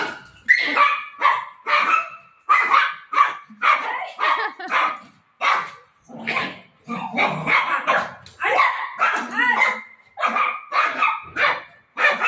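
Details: Golden retriever dog, described as desperate to search for its mom while playing with her, giving a long run of rapid, high-pitched excited barks and yips in short bursts, with brief pauses between volleys.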